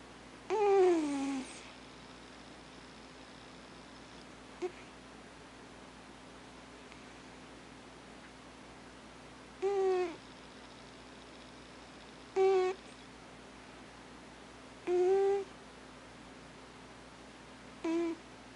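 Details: Thames, the household's alpha cat, murmurs in his sleep: short tonal moans and squeaks at irregular intervals of about two to three seconds in a quiet room.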